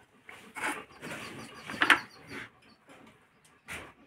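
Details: German Shepherd puppy giving short, high whines and yelps in bursts of about half a second, several across four seconds, indoors in a small room, with a person calling to it in Spanish just after.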